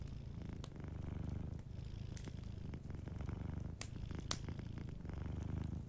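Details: Close, rich purring of a sleeping cat, a dense low vibrating rumble in two long breathing phases, with a few bright crackles from the fireplace.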